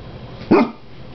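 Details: Pet dog begging at the table for chicken indoors: a single short, muffled bark-like vocalization lasting about a quarter second, with a person talking to the dog around it.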